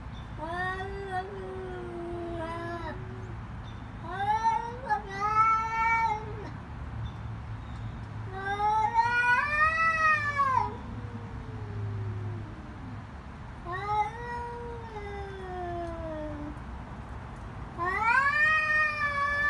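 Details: Cats in a fight scream loud, drawn-out howls that swell and sag in pitch, five wailing bursts spread across the stretch, some overlapping, with a low rumbling hum underneath.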